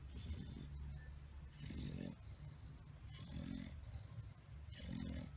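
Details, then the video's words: Sleeping bulldog, tired and napping, snores in regular low, grating pulses roughly every one and a half seconds, each breath a coarse rumble with a raspy upper edge. "tierd bulldogs snoring"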